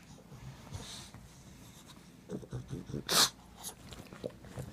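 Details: Needy pet pug Potter, demanding more butt scratching indoors, gives a short series of low, nasal grunts and snorts, ending in one louder breathy burst, while a man murmurs quietly nearby.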